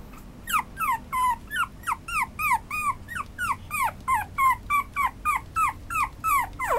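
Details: Chihuahua-Papillon mix dog whining in a steady series of high, falling yips, about three per second, each a short bent squeal with bright overtones, continuing without pause over faint low room hum.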